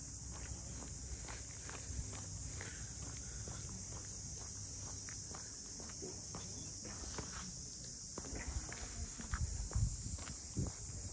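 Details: Cicadas calling around the traditional Ine no Funaya boathouses of Ine, north of Kyoto, a steady high shimmering drone filling the air while footsteps tap along the harbour street beneath it.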